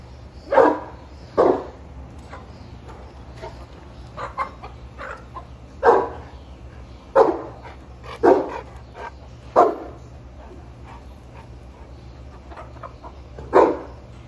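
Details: Boerboel named Sheeba barking while checking on chickens, about seven deep, booming barks spaced irregularly over fourteen seconds, with a few fainter short sounds between them and a low steady hum beneath.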